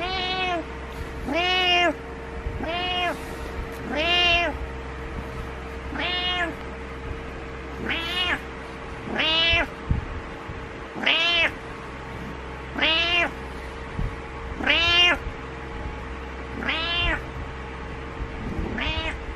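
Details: Cat meowing in a funny cats and kittens compilation: a series of about twelve drawn-out, rising-then-falling meows, one every one to two seconds, over a steady low electrical hum.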